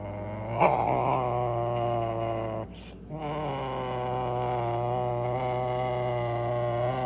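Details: Serval calling while asking for food: a long, low, steady moaning roar held for seconds, with a brief break and a soft rustle in the middle before continuing.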